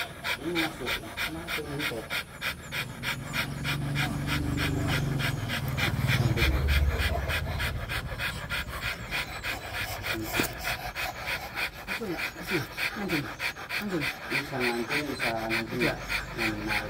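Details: Rottweiler mating, heavy fast panting at more than three breaths per second, loud and regular throughout, with human voices talking over the middle and end.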